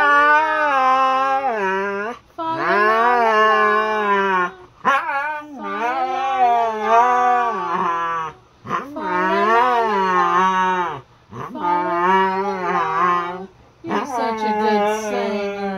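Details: Siberian Husky howling along to the Christmas song Fa La La La: long, rich, sliding howls that rise and fall in several sung phrases, each a few seconds long, separated by brief breaths.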